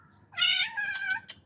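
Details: One loud, rough, nasal meow, almost a second long and falling at the end, from an upset visiting tomcat searching for a female to mate with, after wandering in from outside for food.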